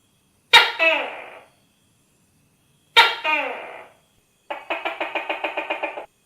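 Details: Pair of harsh, strident two-part tokay gecko calls with falling second notes, then a quick rattling series of around ten regular pulses lasting a second and a half, with no other sounds.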